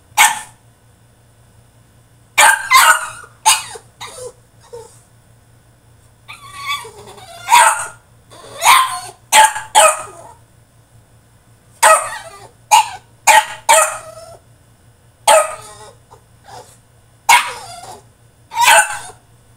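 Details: Caged French Bulldog in a tantrum, firing off a long run of sharp, raspy barks in quick clusters of two or three, with short gaps between bursts and a low electrical hum in the background.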